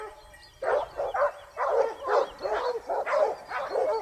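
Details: Pack of Basset Hounds baying while hunting in Spain during their second hunting season, 2015-16; overlapping voices give a chorus of bawling bays, loud bursts in quick succession after a quiet start.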